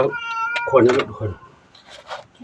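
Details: Nam Phet, a temple cat at Wat Pong Chai in Chae Hom, Lampang, Thailand, lets out a short level meow while being wiped clean, quickly followed by a person's voice and quieter rustling.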